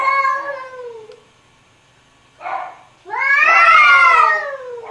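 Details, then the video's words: Cats arguing together indoors: a falling, whiny meow, a short muffled cry, then a loud, strained wail that rises and slowly falls, with another cry starting at the end. "Funny Cats Arguing | Cats Talking To Each Other"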